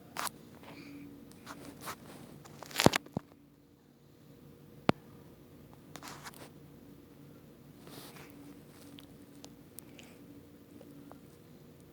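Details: Indoor handling noises with scattered clicks, crunches and scraping taps over a quiet hum, without any animal voice.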